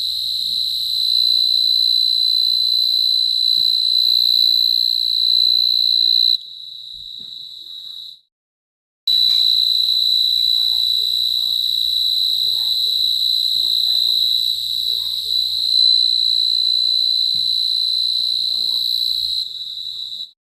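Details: A cricket's continuous high-pitched ringing trill cuts out briefly near the middle and then resumes just as steady and shrill until the end. Low background hum throughout.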